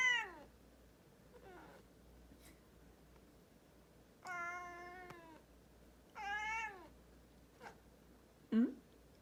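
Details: Pet cat indoors that scolds its owner for sneezing: several drawn-out meows, some falling in pitch, spaced a few seconds apart, with short clicks and a faint low hum behind.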